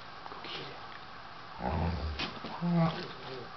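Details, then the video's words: Dobermans Loofah and Otto squabbling indoors as Loofah tries to take over Otto's bed; a deep, rough rumbling growl swells halfway through, then a shorter, tighter voiced snarl follows, with faint rustling behind. "Fighting Doberman! Loofah tries to take over Otto's bed!"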